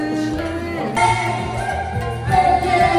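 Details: Choral singing with sustained voices and instrumental backing fills the whole stretch, and no animal voice is present.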